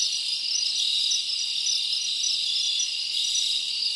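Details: Many crickets chirping at night in a summer forest, a dense continuous high-pitched trilling band with steady loudness and no other clear sounds.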